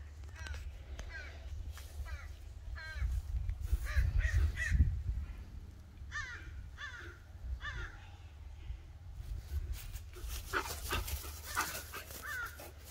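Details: Bull Terrier racing around in zoomies after a shower, uttering a run of short, rising-and-falling squeaky whines, repeated roughly every half second, with thumps and scuffling sounds mid-way and a low background hum.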